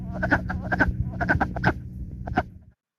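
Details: Wood frogs, early spring callers, give short, hoarse clucks in irregular bursts, sounding like clucking chickens or ducks.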